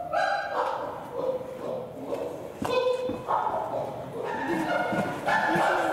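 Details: Excited pant-hoot sounds from Flynn the chimpanzee as Tuli approaches to kiss him: breathy panting rhythm breaking into loud, tonal, wavering hoots, reverberant in a large indoor hall.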